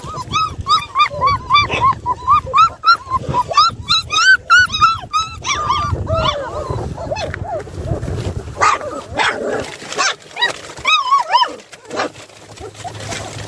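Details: Puppies in a litter of seven, filmed during an escape by two pups from their play area. Quick repeated high yelps open the recording, then give way to scuffling and scattered noises, with a brief burst of yips near the end.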